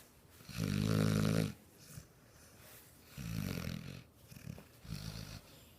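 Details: Ozzy, a six-month-old male American Bulldog, asleep and snoring: three slow, low rumbling snores, the first loudest with a faint nasal whistle, separated by quiet breathing pauses.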